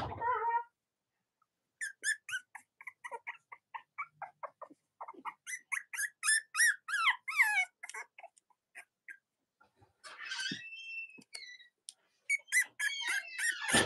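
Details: Robin and Myra's Cavalier King Charles Spaniel puppies, kept indoors on a chilly Monday morning near Halloween, squeal in a rapid run of bright, wavering, rising-and-falling squeaks, pause, then burst into louder broken whines.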